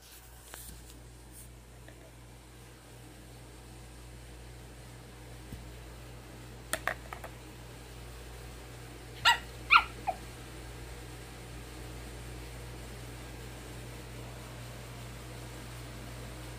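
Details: An angry Pomeranian barks at a hanger holding a facemask, giving a few sharp, high barks in a quiet room with a low hum.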